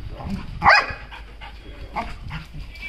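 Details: Belgian Malinois at a dog-training session gives one sharp, loud bark early on, followed by softer low sounds, while a trainer speaks nearby.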